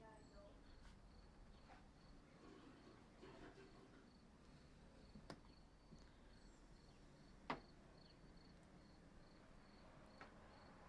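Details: Loud cicada on a scorching day in Coos Bay, Oregon, heard from inside an apartment where the sound echoes. Short high chirps repeat steadily about twice a second, with scattered clicks and knocks in the room.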